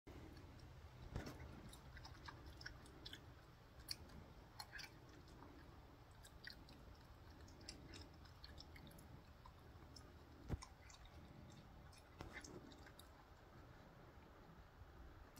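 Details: Harley the raccoon eating grapes he fishes out, indoors in a small room; soft crunching and wet chewing clicks scattered irregularly over about fifteen seconds, with a quiet steady background hiss and a person talking afterwards.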